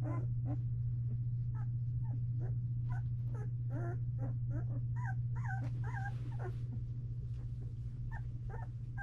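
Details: Two-week-old Belgian Malinois puppies in a whelping box give short, high whimpers and squeaks, scattered irregularly and several per second at times, over a loud, steady low mechanical hum.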